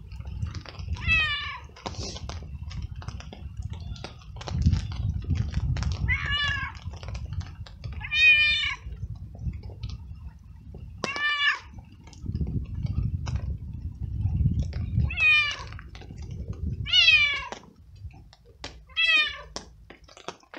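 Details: Hungry, cold stray cat, wet from rain and scared, follows along crying very loudly; roughly eight strong harmonic meows, each sliding downward, come in irregular bursts over constant rain noise and low rumbling.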